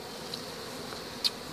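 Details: Western honey bee colony buzzing during a hive removal, right after the queen is found. A steady, continuous hum with a thin high whine runs throughout, and a brief sharp click comes near the end.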